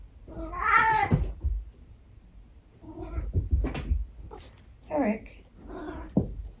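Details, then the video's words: Tabby house cat Eric trying out weird noises during breakfast time one morning: a drawn-out wavering meow opens, followed later by a shorter bent meow, with a person talking to him between calls in a small room. "How many weird noises can Eric make in one morning?"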